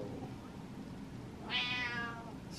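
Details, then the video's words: Impatient pet cat Butters, waiting on its owner, lets out a single drawn-out, harmonic meow lasting under a second, with low steady room noise beneath. "Impatient Cat Meows At Dad"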